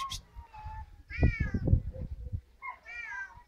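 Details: A Siamese cat in Greece gives two loud, drawn-out, nasal meows that rise and then bend downward, with a brief pause between them, over low thuds and rumbling.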